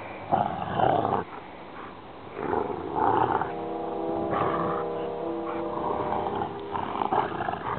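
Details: Rottweiler siblings, brother and sister, tugging a rope in play fight: rumbling guttural growls in long surges, one sustained growl holding a steady droning tone for several seconds before breaking into shorter bursts.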